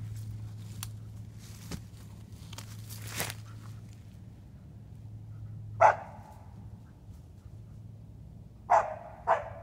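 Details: A dog named Flint barking treed on a fox squirrel up a briar-ringed tree: rustling and a low steady hum first, then a single sharp bark, and a quick pair of barks near the end.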